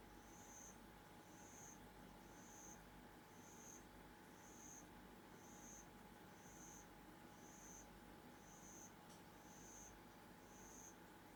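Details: Home-reared bell crickets calling in the dark: a long series of faint, brief high-pitched chirps, evenly spaced about one per second, against a constant electrical hum and background hiss.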